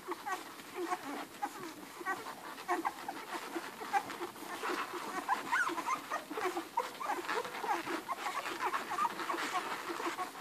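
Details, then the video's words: A litter of eleven Irish Red and White Setter puppies suckle hungrily at their mother Ruby, making a busy mix of smacking, slurping clicks and brief high-pitched squeaks throughout. "11 hungry irish red and white setter puppies nursing"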